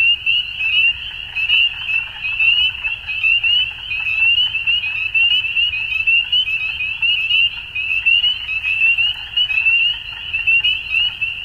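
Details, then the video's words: Massed frogs at dusk give a constant high trilling chorus, thick with overlapping rapid pulses that keep a ringing tone going without pause, over a faint low-frequency murmur. "Frogs At Dusk"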